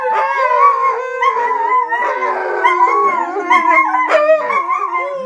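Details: Young wolfdog pups, growing up alongside a husky, howl and "talk" together in overlapping wavering tones broken by yips and chattering whines.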